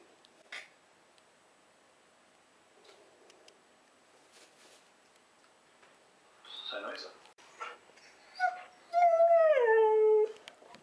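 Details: Husky indoors, eager to play with a rabbit, near-silent at first with faint rustles, then bursts of yips and a long loud wavering howl that slides downward at the end.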